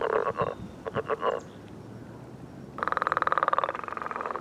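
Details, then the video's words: Morning mating chorus of frogs on a millrace: a few short pulsed croaks, a pause, then a fast, steady rattling trill of evenly spaced pulses. "Enjoying The Mating Call of Frogs on the Millrace"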